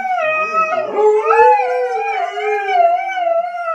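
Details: Siberian Huskies indoors, including one called Phoenix, argue with each other and their owner over a mess in the house; sustained, wavering howl with overlapping voices bending up and down, richly harmonic and continuous.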